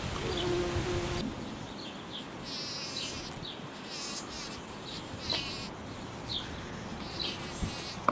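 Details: Bumblebee buzzing: a steady, low droning hum that swells and fades as the insect moves about, with bursts of high hiss and a few sharp clicks and faint tonal notes in the background.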